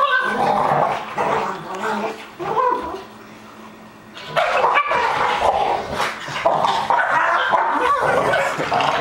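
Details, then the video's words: A two-year-old Pug and an eight-month-old Pit Bull wrestling in rough play: bursts of snarling growls and yaps, a brief quieter lull near the middle, then renewed growling and barking, with a man speaking at times. "Chinese Pug Attacks Pit Bull!"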